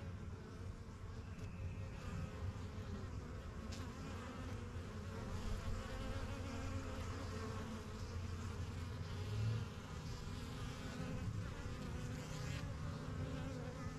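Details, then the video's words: Backyard hive of honey bees, first hives started spring 2023, busy with flights in and out; a constant low-pitched buzzing drone, swelling slightly near the middle, with individual bees passing close. "BUSY BEE HIVE AMBIENCE"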